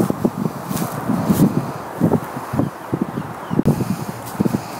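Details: Siberian Husky named Delta singing to ask for a game of ball: a run of short, low, throaty vocal bursts that rise and fall, repeated several times a second, with brief rustling and a sharp knock in between.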